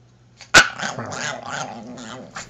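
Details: A pet dog answering its owner with talking growls, a sharp yelp followed by a run of rough, rumbling grumbles in short pulses over two seconds, with a low steady hum in the background.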